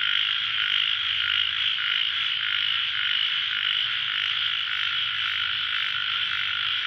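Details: A dense late-night chorus of ornamented pygmy frogs (Microhyla fissipes) after light rain, a continuous high, raspy buzzing of many overlapping callers.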